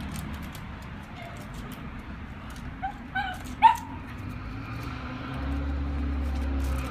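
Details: German Shepherd puppy playing outdoors in snow gives a quick run of three short, high yelping barks midway through, each a brief harmonic burst, over a steady low rumble and faint background noise.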